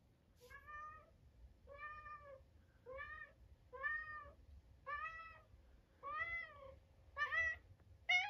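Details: Harpo, a 13-year-old pet cat and cancer survivor, calls while bringing his toy sea monster indoors: eight clear, harmonic meows, each rising then falling, repeated about once a second and growing slightly louder toward the end.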